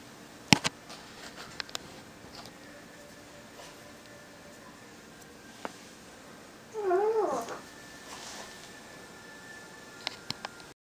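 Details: Four 8-year-old Siamese cats lounging lazily; one gives a single wavering, rising-and-falling meow amid quiet room clicks.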